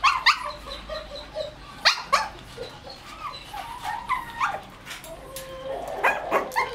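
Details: White Shih Tzu puppies, 1 month and 28 days old, with their mother at milk time, whine in thin, high squeals, with a few sharp yaps among them.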